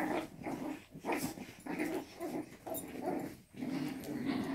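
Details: Six-week-old Jack Russell x Yorkshire Terrier puppies (Canis familiaris) give short, rumbling play growls in quick bursts during a tug-of-war game.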